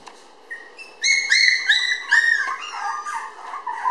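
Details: Puppy whimpers from a red Toy Poodle girl born May 20, weighing 700 g when filmed on June 30: clear high whining squeals, several rising-then-falling notes packed close together, loudest in the middle.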